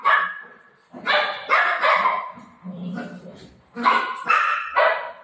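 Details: Pet golden retriever Buzo barks indoors, announcing that an aunty has arrived and the door should be opened. Roughly seven loud, harsh barks come in uneven pairs and singles, with household voices mixed in.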